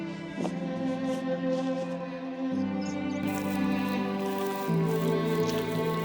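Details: Only sustained ambient music with layered droning tones is heard, with no animal sound.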